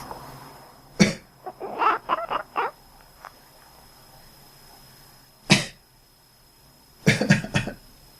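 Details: Pet cat resting at home, answering its owner's cough: a rapid run of about six short, clipped quack-like chirps right after the first cough. Two more coughs come later, the last followed by a few more chirps, in a quiet room.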